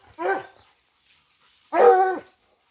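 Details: Hunting dogs flushing out a wild boar give two loud, harsh, harmonic barks about one and a half seconds apart, each lasting about half a second, with near silence between and around them.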